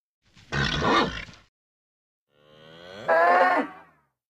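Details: Agitated bull: a rough, breathy snort followed after a pause by a rising, strained bellow that ends abruptly.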